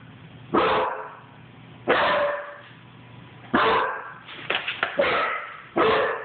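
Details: A Basset Hound puppy running and barking gives loud, full-throated barks spaced a second or two apart.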